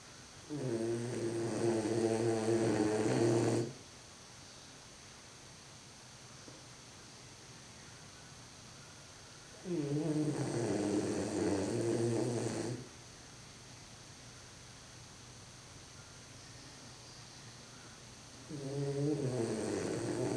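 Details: A French Bulldog trying to stay awake during a photo shoot snores in long, rough, rattling breaths that come roughly every nine seconds.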